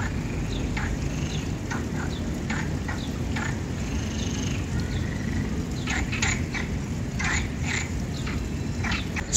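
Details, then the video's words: In a pond in Commonwealth Park, Gibraltar, on 17 April 2024, Perez's frogs (Iberian marsh frogs) give their characteristic short, harsh barking croaks in irregular bursts over a steady low rumble. "we can hear that characteristic bark of the Iberian marsh frogs."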